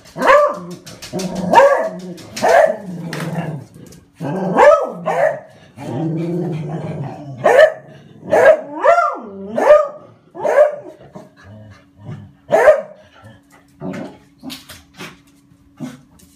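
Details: Dog barking "wan wan" as birds or cats come into the garden: loud, rich barks in irregular bursts, some doubled, about one a second for ten seconds, then quieter scattered barks over a faint steady hum.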